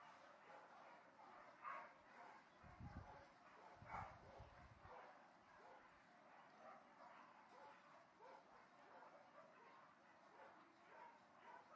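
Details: Dogs barking at a distance: faint, hoarse barks repeat irregularly, roughly once a second, over a steady background hiss, with a couple of low thumps near the middle.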